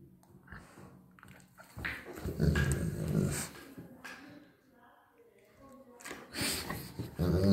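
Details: Bernese Mountain Dogs, two pet dogs indoors, reacting to being blown on: low rough growling and grumbling vocalizations with bursts of noise, mixed with a person's voice and handling sounds in a small room.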